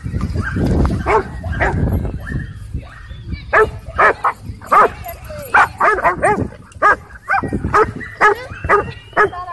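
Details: Dogfight at a dog park with aggressive dogs: low rumbling growl-like noise at first, then a run of sharp, irregular barks and yelps, roughly two per second, with a human voice faintly beneath.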